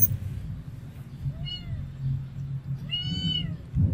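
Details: Cats and kittens feeding on rice with fish soup at a Siem Reap monastery in Cambodia; two clear, tonal meows, the second longer, rising then falling, above a steady low rumble.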